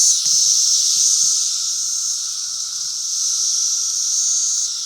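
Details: Periodical cicadas of Brood V calling during their 2016 emergence, a continuous hissing high-pitched chorus that swells and eases slightly, with a steady lower tone underneath and a brief click near the start.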